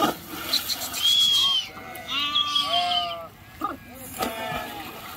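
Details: Sheep crossing a river; a thin high drawn-out bleat followed by several lower quavering bleats from other animals, with splashing noise in the background.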